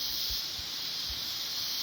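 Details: Mountain cicadas over coffee plantations: a steady shrill hiss-like buzzing, with a few soft low thumps in the background early on.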